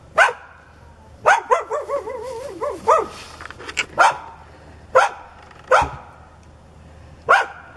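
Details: Hostile neighbour's dog, foaming at the mouth and charging at a person, lets out sharp barks with a wavering, throaty growl-whine between them, then several more single barks spaced about a second apart.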